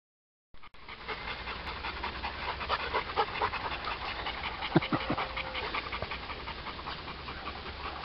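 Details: A hot Bernese Mountain Dog pants rapidly and steadily, about two breaths per second, with a soft background hum and a man praising the dog at the end.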